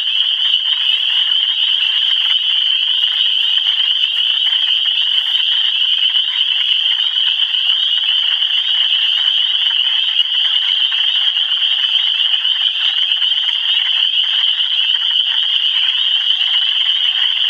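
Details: A loud, sustained chorus of many frogs in Michigan, a shrill high ringing made of overlapping calls that never pauses, with faint brief clicks here and there.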